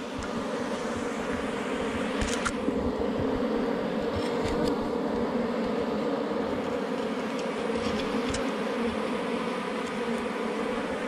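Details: A loud, unbroken drone of many honey bees at a hive beneath rocks, found while hunting forest honey. The buzzing stays steady at a low, rich pitch, with occasional faint taps.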